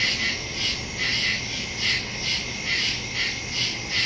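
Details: Nighttime woodland crickets, captured September 2, 2023 with a phone and stereo microphone; bright high trilled pulses swelling roughly twice per second, several insects blending into a continuous shimmering chorus.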